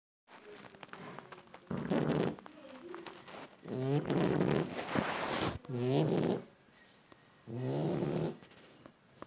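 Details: Sleeping French Bulldog snoring; loud rasping, harmonic-rich snores roughly every two seconds, each lasting about a second, separated by quieter breathing.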